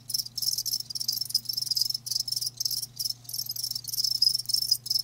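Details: Live crickets give shrill, rapid chirps in clustered bursts with a few short pauses; a low electrical-sounding hum runs underneath the whole time.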